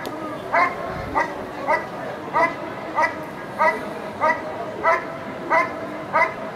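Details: Rapid barking from a dog at a 2014 protection work trial, about one and a half barks per second in a steady driving rhythm, with faint crowd murmur underneath.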